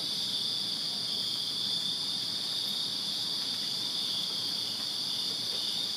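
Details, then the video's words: Crickets chirping in a backyard in Virginia on a summer night: a steady, unbroken high-pitched trilling chorus from many insects, with a fainter shimmering layer above it and no pauses. "Crickets Chirping Summer Night in Virginia"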